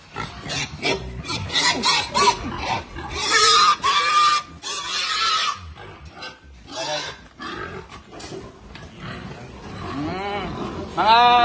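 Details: Berkshire x Pietrain crossbred gilt on a pig farm, giving harsh, noisy squealing bursts, loudest in the middle, mixed with a man talking in Filipino throughout.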